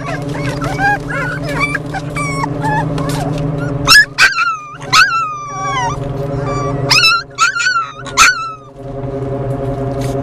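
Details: Four Beagle and Jack Russell Terrier mix puppies riding in a car on the way to a rescue in Columbus, whining in high, wavering cries that rise and fall, some in quick clusters, over a steady low engine hum.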